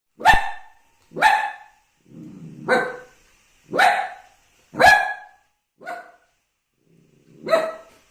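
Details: Puppy barking at his own reflection in a mirror for the first time; sharp, bright barks roughly once a second, with a few softer, lower growl-like barks mixed in and silent gaps between.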